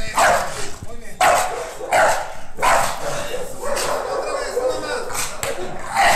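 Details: Young female American Bully Pocket, nine months old and in protection-dog training, barks in short harsh bursts at a steady pace, with human voices and handling noise between and after the barks.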